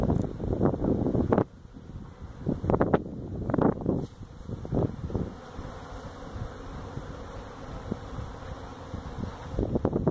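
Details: Honey bee colony being removed from a tractor tire at a citrus orchard in Mission, Texas. This feral hive gives a low, even drone, broken early by loud banging and scraping, then settling into a continuous hum.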